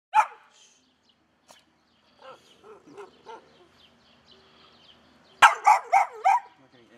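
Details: ['Rare albino Pit Bull filmed on a Sony HDR-AX2000: one sharp bark opens, followed by a few softer low sounds, then a quick burst of four loud barks near the end.']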